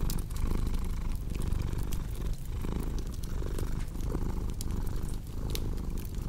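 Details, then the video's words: Domestic cat purring in a steady low rumble that swells and fades with each breath, roughly once a second, over sharp crackling and popping from a fireplace. "Purring Cat with Cozy Crackling Fireplace Sound"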